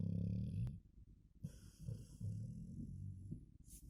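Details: Golden Retriever named Blondie snoring while asleep: low, rumbling breaths repeating roughly every half second to second, with a faint high tone in the background.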